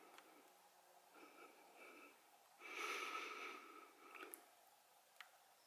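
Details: Mother bear with two cubs visiting a backyard pool in Arcadia, California, during a heat wave on a July morning; a breathy, noisy snort lasting about a second, with softer huffs before and after and a faint steady hum underneath.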